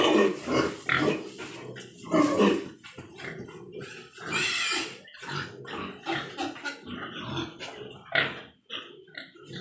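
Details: Large White Yorkshire pigs on a farm in Nadia district, West Bengal, with several animals giving overlapping harsh grunts and short squeals in irregular bursts, some louder squeals rising sharply above a steady chorus of lower snorting.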